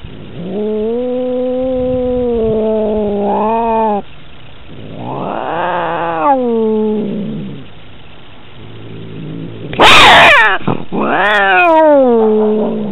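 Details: Domestic cats in a fight, recorded on a collar camera: long drawn-out harmonic yowls, held steady then wavering and bending, with a rising-falling wail and a sudden harsh hissing burst near the end before more yowling.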